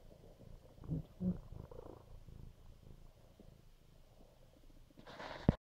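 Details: Lazy, vocal house cat from NYC lying under a blanket in bed: soft low rumbling purr with faint pulses, then a brief louder rustle at the end.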